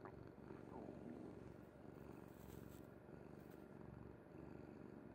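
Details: Kuri the cat, fast asleep on a mother's bed, purrs in a low continuous rumble; faint squeaky sounds early on and soft rustling noises around two to four seconds.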